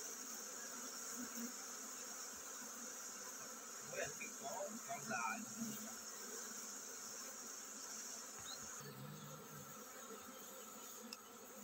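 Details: Many honey bees in a colony about to swarm hum steadily and thickly, with a brief swell in the middle and faint voices; a constant high hiss runs underneath.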